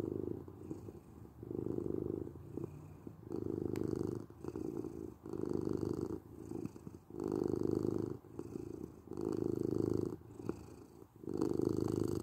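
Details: Relaxing purr of a domestic cat, a deep continuous rumble pulsing in regular cycles roughly once a second, each louder burst followed by a short softer dip, in a quiet room.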